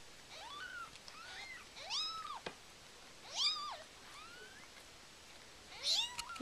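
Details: Siamese cat named Karma, indoors during the birth of her first litter of six kittens, early morning, around kitten number four: short, thin, high mews rising then falling, each about half a second, six calls scattered over the stretch, no other sounds.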